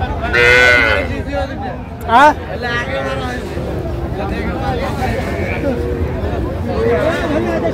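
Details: Cattle calves, small bulls and heifers, at a cattle market in Narsingdi, Bangladesh: a loud, tonal, harmonic moo early on and a second short burst near the middle, set against steady crowd murmur and men haggling over prices.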